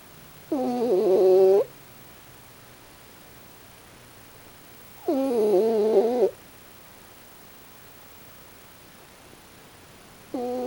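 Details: Sleeping raccoon dog Pochi, snoring with a strange face, gives drawn-out, buzzy, wavering snores about a second long, repeated roughly every four to five seconds, with a third starting at the end; otherwise a quiet background.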